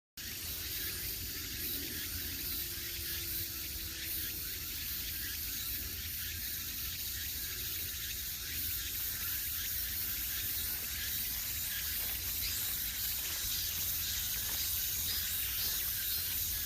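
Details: Cicadas singing along the Gwangneung forest trail in Pocheon, Gyeonggi, Korea, a UNESCO biosphere reserve: a dense, continuous high hissing drone fills the woods, with a faint low rumble beneath.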